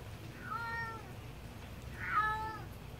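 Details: A calico mother cat calls for her kittens after they were taken to the vet to be fixed; two short bright meows about a second and a half apart, faint against a quiet room.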